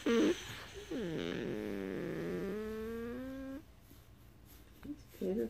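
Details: Beagle "purring" indoors with a long, steady, slightly wavering moan-like tone after a short downward slide. It stops abruptly. Brief human voice sounds come at the start and end.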